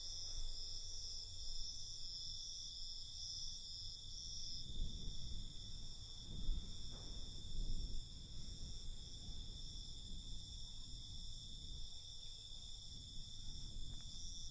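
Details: Crickets trill steadily at night, a thin high ringing drone, while stronger low rumbling noise swells and fades beneath it.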